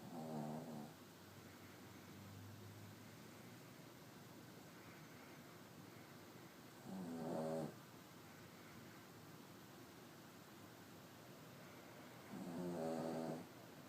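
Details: A 3-year-old Cavalier King Charles Spaniel snoring while asleep: three rough, low, buzzy snores, each about a second long, come roughly every six seconds, with faint steady hiss between them.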